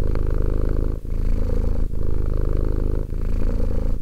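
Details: Close, low-pitched purr of the two-year-old cat Romek, a throbbing rumble interrupted by three brief breath pauses in four seconds, with no background noise.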